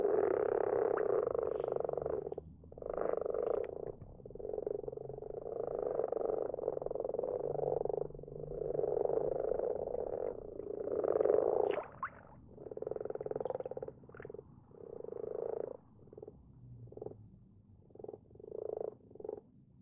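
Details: Common frogs calling at night from a garden pond where more appear every year; dense rolling purr-like croaks for the first half give way to shorter, separated croak bursts toward the end.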